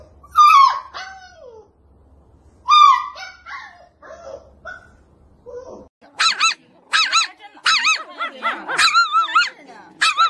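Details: Husky puppies in a demanding, arguing tone: two loud falling yelps, then softer whines, then a rapid series of high, wavering, harmonic yowl-barks repeated about every half second.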